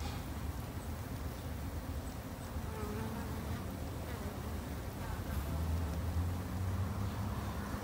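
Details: Backyard-kept Japanese honey bees, raised by a novice garden beekeeper for their protection, fill the air with a dense low buzzing drone that swells slightly louder toward the end, with a brief deeper hum near the close.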